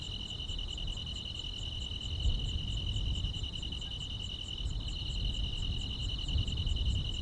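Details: Grass insects trilling through a quiet summer night in the countryside: a steady high double-pitched drone with fast, light chirps repeating several times a second, over a fairly strong low rumble.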